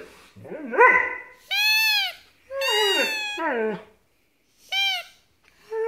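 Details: Max, a Siberian Husky about a year and a half old, talks to a squeaking toy indoors: low wavering yowls and a falling moan alternate with bright, flat, repeated squeaks from the toy.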